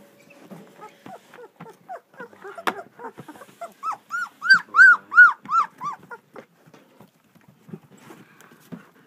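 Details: A two-week-old German Shepherd puppy from a Florida litter at Vom Barron's Pride cries in a run of clear, arched squeals, about six loud ones in a row mid-clip, framed by softer grunts and whimpers from littermates.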